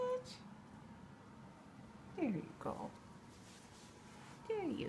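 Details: KiKi the cat gives two short meows indoors, each a falling, slightly wavering tone about two seconds apart, with a person's voice and room hum in the background.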